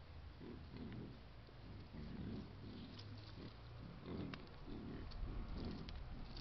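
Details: Wild boar group with piglets caught on a camera trap in Foreste Casentinesi National Park, Italy, giving soft low grunts in rapid irregular bursts, with faint rustling and snuffling among them.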